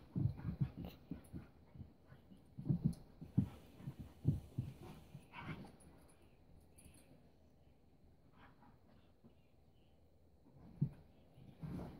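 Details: Keiko, a 4-year-old Husky, and Lucy, a 3-month-old Welsh Springer Spaniel puppy, on their first play date: low, rough growling bursts in quick clusters, loudest in the opening seconds, fading to quiet near the end before one last grunt.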